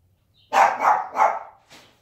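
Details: Sleeping Siberian Husky mom accidentally kicks her puppy, which answers with a quick string of three wavering yelps and a fainter fourth cry after a brief gap.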